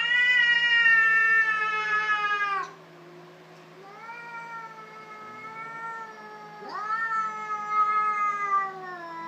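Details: Cats fighting, heard as sustained harmonic yowls that dip and swell, one long howl fading to a lower moan before a fresh rising wail, over a steady low hum.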